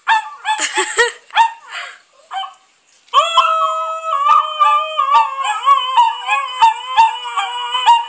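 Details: Puppies respond to singing. Opening with scattered rough yips and barks, then after a brief pause a long, quavering chorus of howls rises and falls continuously, with faint clicks throughout.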